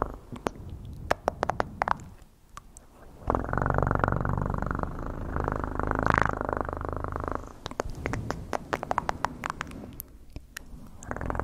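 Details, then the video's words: Cat purr, a steady low rumble holding for several seconds in the middle, framed by scattered sharp clicks and soft taps before and after. "PURRING sounds"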